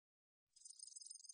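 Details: A katydid (Korean name 애여치) gives a high, dry buzzing song of rapid, pulsing chirps after a brief silence.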